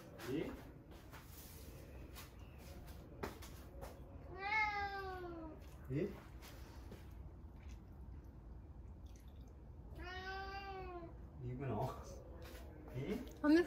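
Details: Domestic cat meowing to invite the father of the household for a walk, a daily habit; two long, drawn-out harmonic meows that rise then fall, roughly six seconds apart, with soft human voices and small household noises between them.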